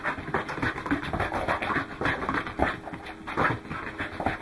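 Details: Welsh Corgi Goro panting during a run on 12 December 2010: loud, rasping breaths in an uneven rhythm, somewhat slower and deeper than a steady trot.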